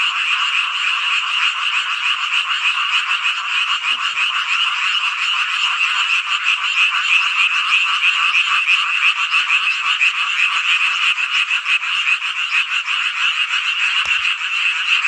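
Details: A large group of frogs sings through a midsummer night in Hongcheon, Gangwon Province, Korea, producing a constant dense trill of quick repeated croaks, slightly swelling in the middle, with a small knock heard near the end.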